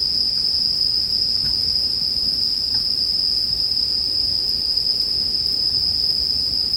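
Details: Continuous shrill ringing of bell crickets, paired with campfire ambience for relaxation, staying level from start to end while quiet pops and a low murmur of burning wood sit beneath.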